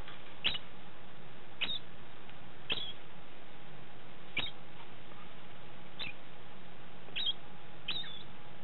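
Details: Male degu named Tim calling after mating: short sharp chirps that sweep upward and end in a high note, repeated about once a second, seven in a row over a faint steady hum.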